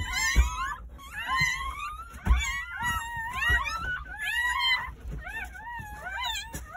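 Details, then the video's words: Crying of newborn Jindo puppies from a nine-pup litter delivered on New Year's Day at a rural house; shrill, quavering squeals with bending pitch, many voices overlapping in quick bursts, occasional low knocks. "새해첫날 시골집 진돗개 9마리 출산했어요 새해 첫 우렁찬 울음소리와 함께 새생명이 탄생"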